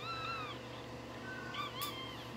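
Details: Crying newborn Shih Tzu puppy gives two high, thin squeals, the first drawn out and slightly falling, the second a shorter wavering whine about a second later, over soft background music and a low hum.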